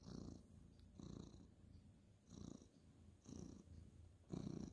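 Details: Ginger tabby male cat purring while being petted on a bed at bedtime, 2/11/2023: low rumbling purr swelling in bursts about once a second with each breath, softer pauses between, quiet indoor room.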